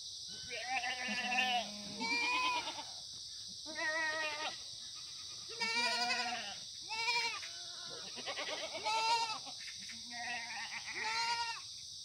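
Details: Antibiotic-free, free-range Korean black goats at a farm at the foot of Muchuksan, Gimhae, South Gyeongnam, September 2019 morning; a run of short, nasal bleats from several animals roughly every second or two, some quavering, above a steady high hiss.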